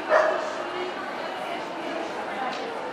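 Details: Cardigan Welsh Corgi at the NVP Ostrava dog show on 12 April 2014: one sharp, loud bark right at the start, then a steady hum of crowd chatter and hall noise for the rest.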